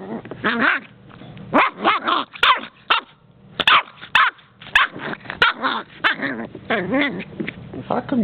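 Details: Playing under the coffee table, Puggle puppy Tula protests being filmed. She gives repeated husky grumbles and sharp little barks in uneven bursts, some drawn out and wavering. A person's voice is mixed in.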